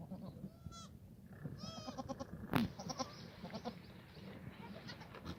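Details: Black goats in a farm yard on a foggy March morning in Gimhae, South Korea: two short, strained bleats close together near the start, followed by a sharp knock and steady rustling and movement noise.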